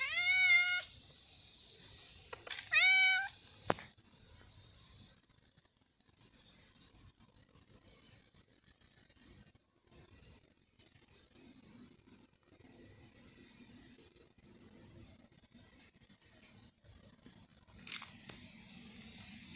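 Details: Lil' Nero, a cat, meows twice in quick succession at the start, each a short clear tone bending downward, followed by long quiet with faint rustling and a brief scrape.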